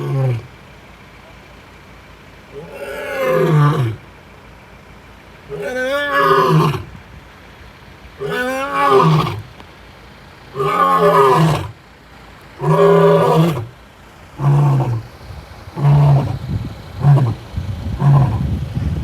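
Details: A male lion in Kruger National Park gives a series of deep, moaning roars that shorten into grunts as the bout ends.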